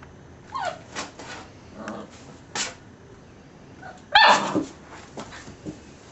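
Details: Six-week-old puppies from a litter of ten, sired by an American Staffordshire terrier out of a Border collie and German shorthaired pointer mother: scattered short yelps and squeaky whines, with a louder, sliding high whimper near the end.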